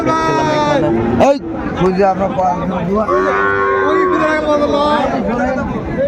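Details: Cattle at a Chattogram market where a farmer buys Sahiwal bull calves, mid-January: loud, harmonic lowing rising and falling, one moo after another from several animals, with bargaining voices and a sharp knock near the start.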